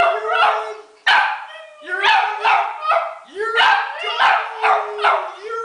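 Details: Hunter the Italian Greyhound, a house pet, joins in with repeated rising howl notes in quick bursts, overlapping with human speech prompting the dog to sing.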